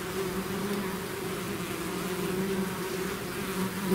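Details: Loud, close buzzing from a swarm of bees leaving the hive, a steady deep hum with stacked overtones and a sharp close pass at the very end.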